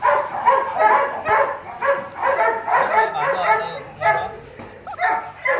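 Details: Male Rottweiler named Loki, about two and a half years old, at Gervi Kennel during play, giving quick harmonic barks and yips about twice a second, with a brief low whine and human voices mixed in.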